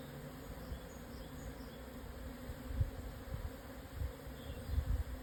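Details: A swarm of Japanese honey bees moving to a new home at noon, just after strong wind died down, 17 June 2024, 12:50, on the high plateau south of Yatsugatake, Hokuto, Yamanashi, Japan, at 1054 m. A faint, steady low drone with rumbling low-pitched wind or handling noise.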